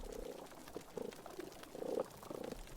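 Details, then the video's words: Reef fish give low, grunting croaks, pops and chirps in short repeated bursts as they communicate, with snapping shrimp popping in the background so the reef crackles; a healthy coral reef soundscape. "on The Reef you've got thousands of species of fish that are producing pops and chirps and croaks as they communicate with each other"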